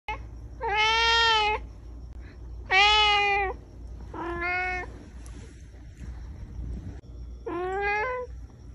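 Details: Talkative pet cat indoors, meowing while its owner watches TV: four long, clear, harmonic meows, each lasting about a second and spaced roughly two seconds apart. The second is loudest, and the later ones are shorter with a slight rise at the end.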